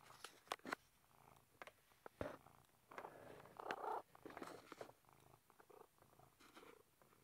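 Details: Velo, a pet cat stuck behind a book shelf indoors and seemingly having fun, purrs in soft rhythmic pulses, mixed with sharp scraping and knocking clicks in a small room.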